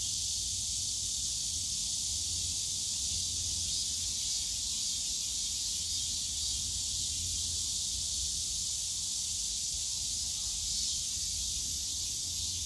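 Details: Cicadas on a summer day in the bamboo forest of Yongsan Family Park, Seoul: a dense, steady, high-pitched buzzing chorus that never breaks, with faint low rumble of park and city noise beneath.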